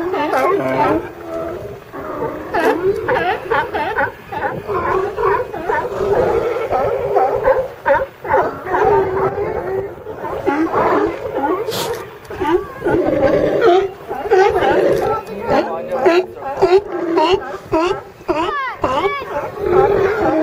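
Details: California sea lions hauled out together, with a seagull perched atop the pile. A dense chorus of overlapping harmonic barks and groans, almost continuous, some calls rising and falling in pitch.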